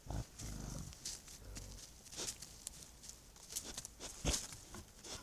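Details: Wild boars caught on a trail camera at night in heavy fog give low, rough grunts amid rustling and soft snapping sounds.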